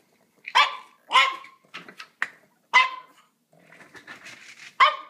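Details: Pixie, a pet dog, barks at dinner time, earlier than usual, indoors near a food bin: a series of loud, sharp, harmonic barks roughly every half second to second, with softer whines between.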